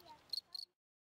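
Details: A field cricket (Gryllus campestris), sitting on a person's hand, gives two quick, high, shrill chirps of a couple of rapid pulses each, produced with its wings.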